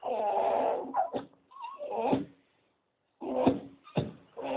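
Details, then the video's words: Staffie waiting for a walk alongside a Doberman that joins in: long groaning, grumbly howls with a short rising whine, then a gap of silence before more throaty moans. "Staffordshire Bull Terrier voice Staffie making funny noises"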